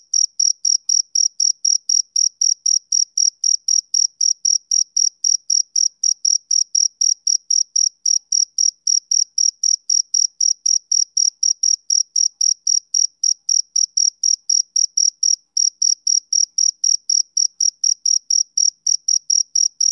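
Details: A male cricket gives rapid, evenly spaced shrill chirps, roughly four each second, with one brief gap midway. The background is otherwise silent.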